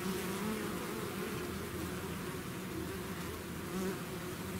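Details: A bee swarm leaving the hive fills the air with a dense, droning buzz, many overlapping wingbeat hums wavering slightly in pitch, constant from start to end.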